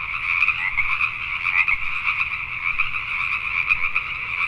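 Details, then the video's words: Richmond, British Columbia, Canada, at night: a crowd of Pacific tree frogs croaking at once, a thick buzzing chorus of rapid repeated notes with small swells where close frogs call. "Pacific Tree Frogs at Night"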